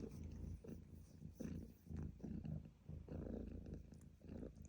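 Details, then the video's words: Purring cat, a low buzzing rumble broken into short breath-paced bursts with brief quieter gaps between them, recorded up close. "Cat Purring Sound Effect"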